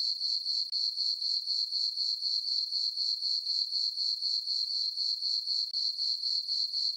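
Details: Summer-night crickets in a moonlit farm meadow, a continuous shrill chirping beating in even pulses roughly four per second throughout, nothing else audible.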